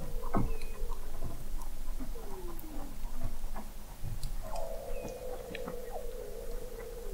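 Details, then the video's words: Weddell seal song from 21 m beneath the sea ice in McMurdo Sound, Antarctica, November 2017: an opening pulse, gliding descending whistles, then a long, steady, low tonal moan holding for nearly three seconds over scattered chirps and clicks. "Song of the Antarctic Weddell Seal"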